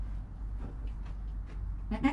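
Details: ['Newborn goat kid named Joel, recorded on a GoPro within an hour of his birth beside his calm mother Penny; a short, harmonic bleat rises out of low background rumble near the end.']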